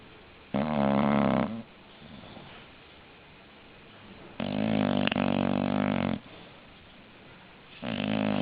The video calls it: Funny snoring english bulldog